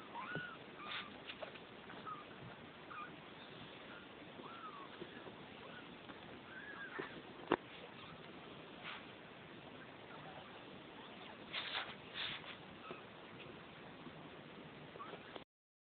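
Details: Neva Masquerade kittens, two weeks old, litter F of a Czech cattery, De Lourdes: brief rising-and-falling high mews scattered through the first seven seconds, then louder noisy bursts and a sharp click amid constant hiss.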